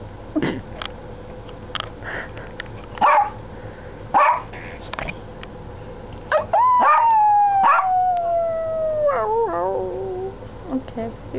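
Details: Pet dogs, which love to howl: a few scattered yips and knocks, then one long howl that starts high, slides slowly downward for about three seconds and breaks into wavering notes at the end.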